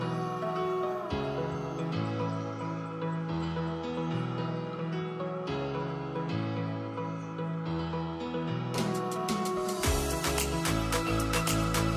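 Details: Soft new-age background music with sustained synth chords and later brighter plucked notes fills the whole stretch, with no animal sound.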